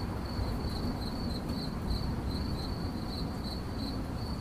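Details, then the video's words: Cricket giving about nine shrill chirps in quick succession, each a short pulsed burst, over a heavy low rumble. "CRICKET CHIRPING"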